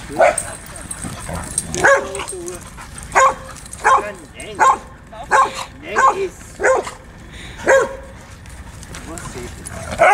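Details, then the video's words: Huskies and Malamutes at play during their morning exercise, giving a run of sharp, yelping barks roughly every three quarters of a second, some bursts rising and falling, with a person talking in the background. "Huskies und Malamutes beim Morgensport"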